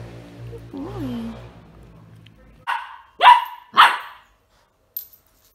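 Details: Indoor barking in a home with Benji, a whippet puppy got at 9 weeks old, and two 9-year-old terrier/chihuahua crosses: a spoken phrase, then three sharp, loud barks in quick succession about half a second apart, then one faint short yap.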